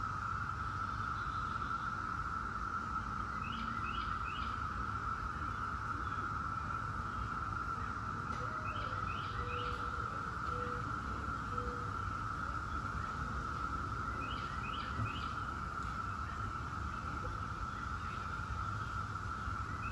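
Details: Periodical cicadas of the 17-year Brood X fill the air with a steady, unbroken droning hum, with a few bird chirps above.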